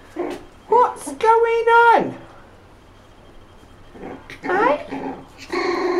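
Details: One-month-old puppies from Milly's litter play indoors amid sibling rivalry; a high, drawn-out yelping whine with stacked overtones rises then drops sharply, followed by shorter squeaky yelps, while a person talks softly in a small room.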